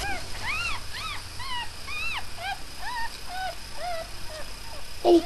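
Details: Newborn puppies from a litter of five, three males and two females, born the previous night, squeaking in rapid arched whimpers that rise and fall, about two each second, with a person's voice at the end.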